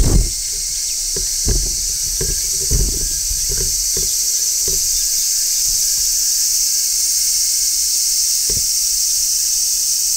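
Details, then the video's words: Midsummer chorus with a large brown cicada on a tree: an unbroken, intense high-pitched buzzing drone, punctuated by scattered low knocks and thuds, heaviest in the opening seconds. "Cicadas Singing in Midsummer | Large Brown Cicada"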